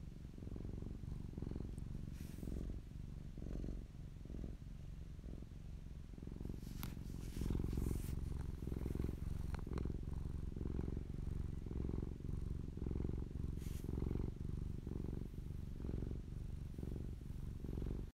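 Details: Popolina, a fluffy domestic cat, purring in close-up: a deep continuous rumble with fast rhythmic pulsing, swelling louder midway, plus occasional soft rustles and clicks.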